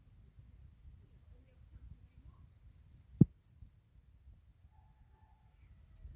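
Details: Morning song of grass insects, a single short run of about eight high, clear pulsed chirps, followed by a sharp click against a quiet low rumble.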